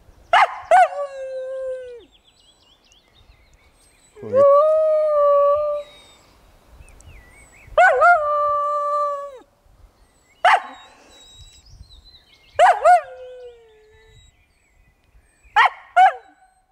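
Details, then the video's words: Dog singing during an early morning walk by a pond: a series of drawn-out howls, each one to two seconds long, steady and then dropping in pitch, with short yelping starts between them and quiet pauses. "Molly Söndagskonsert"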